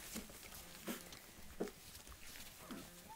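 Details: Four-week-old puppies, born 4-26-10 to Izz-A-Bull Ruby Jewel and Champion Luca Brahma-Bull, playing indoors in their nursery; short harmonic whines and yelps come roughly every three-quarters of a second, faint against a low background rumble.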